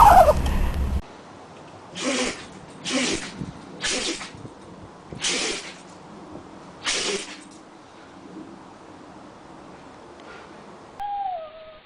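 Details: Dogs sneezing in a compilation of pet clips: five short, explosive, breathy bursts about a second apart, then a pause and a brief tonal squeak near the end, with quiet background hiss between the sneezes.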